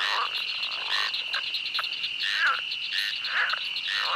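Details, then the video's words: Pond frogs at a pond giving short, rough croaks, some with a falling twang, overlapping in quick succession above a steady shrill drone, likely crickets. "ASMR Pond Frogs & Cricket Sounds"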